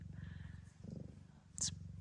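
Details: A blue bicolour Ragdoll queen named Gambit purrs in labour just before 7 p.m. at an Australian breeder's. The low, rhythmic, throbbing purr runs continuously, with a short sharp noise near the end.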